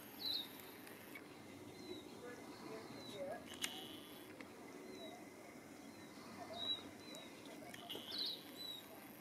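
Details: A male whistling tree frog (Litoria ewingii), the only one calling at an urban backyard pond in Christchurch, New Zealand, gives short, high, chirping notes a couple of seconds apart over a soft outdoor hiss.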